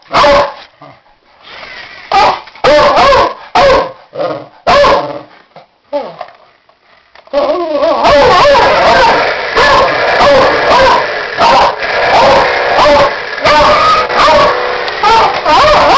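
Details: A pet Beagle mix barks at a toy car, first in scattered single barks with whimpery pauses, then from midway a dense run of rapid, loud, yelping barks, close to ninety-five a minute, overlapping and urgent.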